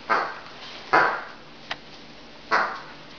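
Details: Giant Schnauzer puppy playing in a plastic basket in a kitchen, watched by another dog, giving three short, sharp barks spaced about a second apart, with a small knock between them.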